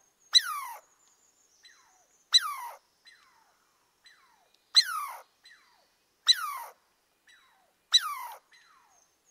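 A squirrel gives sharp, squealing calls that slide downward, repeated about every two seconds.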